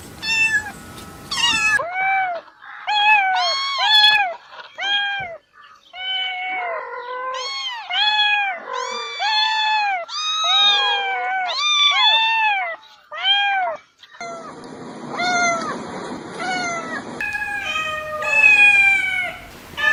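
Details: Several cats meowing in a rapid sequence of short, arched, rising-then-falling mews, many overlapping, some higher and kitten-like, with changes in background partway through.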